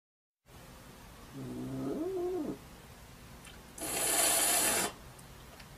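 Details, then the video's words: Domestic cat in a showdown at a window: one low, wavering, harmonic yowl lasting about a second, dipping then rising, followed by a sharp burst of loud hissing noise; faint background hum throughout. "Cute Cat Window Showdown"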